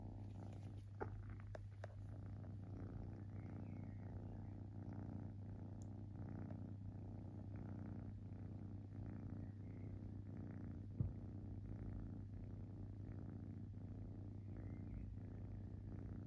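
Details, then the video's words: Domestic kitten purring while relaxing: a continuous low rumble pulsing with each breath about once per second, over a faint steady hum, with a couple of brief clicks and one short knock near the end. "Cute Kitten Purring"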